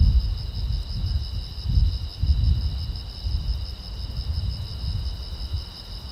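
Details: Night-time crickets along a quiet road keep up a continuous, beaded high chirping, two steady pitched layers, under a heavy, fluctuating low rumble like distant traffic or wind.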